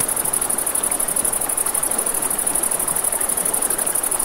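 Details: A dense high trill of crickets at night by a river, rapidly and evenly pulsed, set over the continuous wash of flowing water and soft fire crackle.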